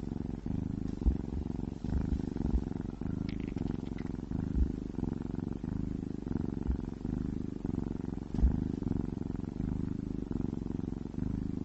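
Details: Pet cats eating towers of minced meat, a steady low purr-like rumble pulsing continuously through the recording, with faint soft clicks and chewing ticks scattered over it and no other voices.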